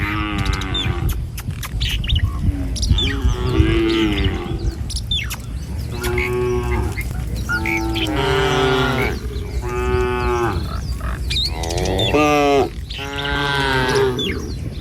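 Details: Tame village cattle herd moving along a rural road at morning; many overlapping moos follow one another, some rising and wavering, over a continuous low background rumble with occasional bird chirps.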